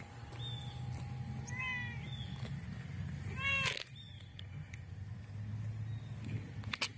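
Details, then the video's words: A black cat with white spots meows for food because it knows it is feeding time: a few short rising-falling meows, then one louder drawn-out meow midway, over a steady low hum and faint clicks. "LINDO GATO negro y de pintas blancas MAULLANDO por comida"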